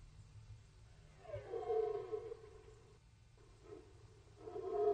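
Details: Red deer during the rut, archival recording from the Orzysz military training ground: a loud, drawn-out harmonic roar swells, holds about a second and a half, breaks off, then restarts twice in shorter bursts over a low steady rumble.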